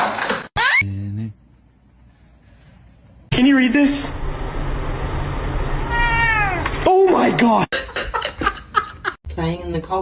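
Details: Domestic cat in a funny home compilation, with a kitten meowing: a pair of drawn-out, wavering meows rising then falling in pitch, set among people talking, laughing and background music indoors.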